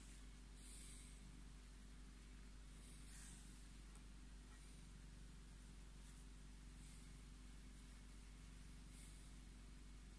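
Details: Scottish Fold tomcat Tommy purrs while claiming his petting; a continuous low droning rumble holds steady for the whole stretch, with occasional light hissing rustles above it.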